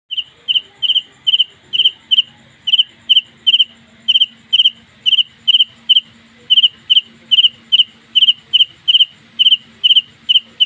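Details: A house cricket indoors gives loud, evenly spaced chirps, about three every second, at night, with a faint low hum behind.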